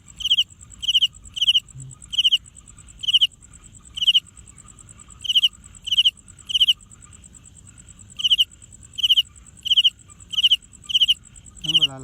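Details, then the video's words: Cricket producing sound by scraping its wings against each other, not by voice; crisp high chirps repeated in runs, roughly two per second, pausing around four to eight seconds, then resuming steadily. "ชวนไปฟังเสียงจิ้งหรีด จิ้งหรีดไม่ได้ร้อง แต่เอาปีกมาสีกันทำให้เกิดเสียงตามที่ได้ยินนี้แหละครับ"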